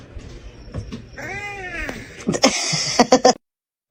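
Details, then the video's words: Kitten giving a single drawn-out, rising-then-falling meow, followed by sharp clattering knocks and a short burst of noise. "kitten meowing crying"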